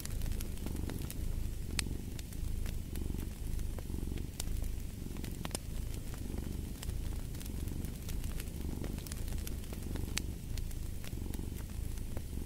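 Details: A domestic cat purrs steadily, a deep rumbling throb that swells and eases with each breath about once a second, while a fireplace crackles with sharp scattered pops over the top.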